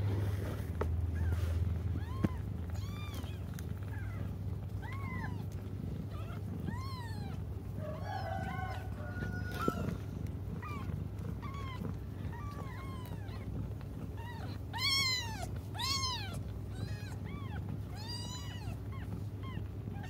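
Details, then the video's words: Cats crying while they wait for their mother: a steady run of arched, rising-then-falling meows, several overlapping, with a louder cluster near fifteen seconds, over a constant low hum. "until their mom comes just stop crying"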